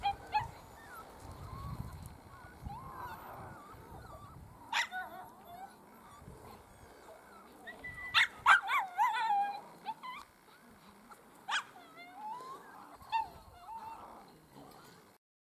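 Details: Several Miniature Schnauzer puppies getting a brief taste of the outdoors give thin, rising whines and short sharp yelps in scattered bursts, loudest midway, with human voices and rustling in the background.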